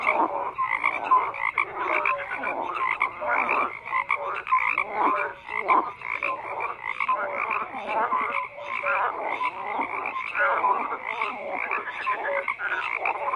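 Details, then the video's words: Frogs croak together in a thick, continuous chorus: rough grating pulses mixed with brief clear piping notes, rising and falling in loudness across the whole stretch. "FROGS CROAKING"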